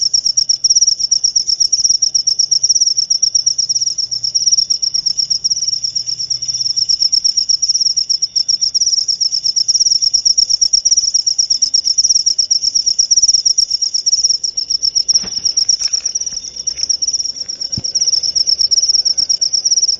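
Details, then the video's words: Continuous high-pitched cricket trilling, dense rapid pulses forming an almost unbroken ringing chirr, with a brief soft knock midway and a quiet background. "Suara Jangkrik"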